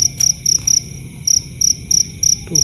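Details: A mountain cricket calling from its burrow on a dry hillside with loose soil, at night after rain, sings loud, shrill, evenly spaced chirps, about three each second.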